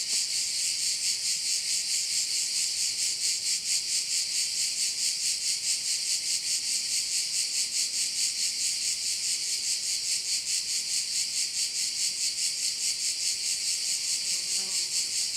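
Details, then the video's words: Continuous shrill chorus of crickets by a bay on Korčula island, Croatia, a high sizzling drone beating steadily about 140 times a minute, with no other clear sounds. "View of one of the bays in Korcula with sounds of crickets"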